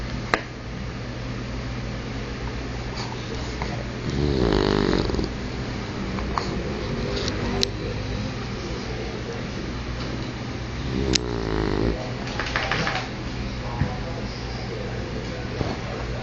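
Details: Max, an English bulldog, snoring while asleep indoors: a few rough, rumbling snore bursts stand out at intervals, the clearest lasting about a second each, over a steady low background hum.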